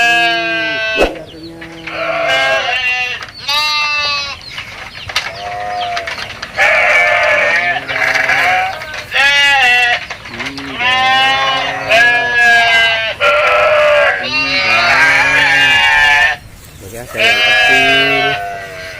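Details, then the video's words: Domestic goats, including small young ones, bleating while being fed in a village with mountains nearby; a dense chorus of loud, wavering, overlapping bleats from several animals with a woman talking between calls. "Suara kambing lucu, funny goat sounds animal goat sound"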